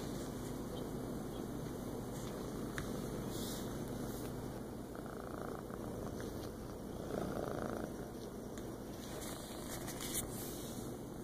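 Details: Feral cat named Mom relaxing in a lap on a kitchen floor in the morning, 14 August 2014: soft, steady low purring throughout, with scattered light clicks and taps and a constant faint high electrical whine.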